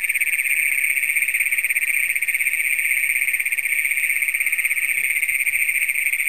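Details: Great Plains toads, the first documented in Brown County, Minnesota, calling at night on June 27, 2010, recorded with a Canon Power Shot camera: a loud, unbroken, high metallic trill that holds steady throughout.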